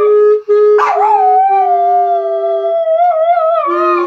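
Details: A poodle howls along to "What a Wonderful World", a long wavering tone that slides and bends over a steady note.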